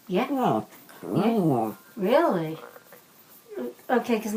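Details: A female Bichon Frise, Gwenny, "talks" back to her owner in drawn-out, speech-like moans that rise and fall in pitch, one after another, recorded on an iPhone.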